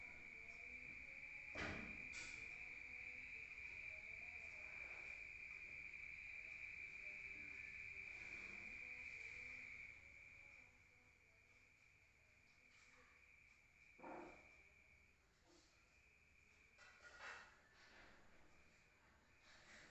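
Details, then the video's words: Crickets at night in the countryside, heard from inside a room: a steady, shrill high trill runs for about ten seconds, then fades to a softer hum, with scattered clicks and knocks. "Rural Nature Sound of crickets at night heard from outside"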